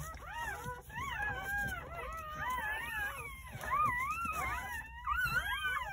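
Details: Newborn Jindo dog puppies, part of a litter of nine born on New Year's Day at a countryside home, cry with overlapping high, wavering whines that rise and fall, several pups calling at once, steady throughout.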